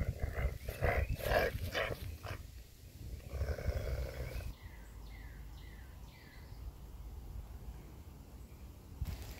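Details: Scooter, a coyote, takes a glove after being spooked, recorded May 13, 2021: a rapid run of short, rough, pulsed growling bursts over the first two seconds, then a softer rumble and faint bird chirps.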